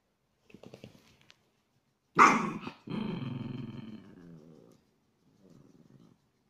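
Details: Chihuahua cross dogs in aggressive play indoors: a sharp yelping bark breaks out, then a long rumbling growl with harmonic snarls, and a softer growl trails off near the end.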